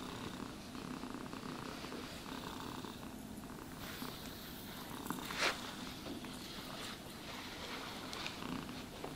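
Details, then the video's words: Soft, persistent purring from a cat under the brush, a gentle low vibration beneath faint rasping grooming strokes, with a single small click partway through. "Cats Purring Sounds for Sleep and Stress Relief | Cat Brushing, Cat Grooming"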